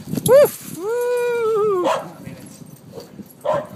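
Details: Terrier mix dog playing catch at a dog park in Eureka Valley: a short rising-falling yelp, then a long, steady, high whine lasting about a second, followed by faint brief yips; a man's voice talks nearby.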